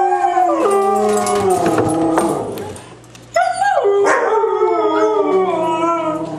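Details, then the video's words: Three white huskies in a group howl, stacked tonal voices holding and gently bending in pitch, a brief quieter gap near the middle, then a rising yelp leading back into sustained overlapping howls. "Three Howling Huskies"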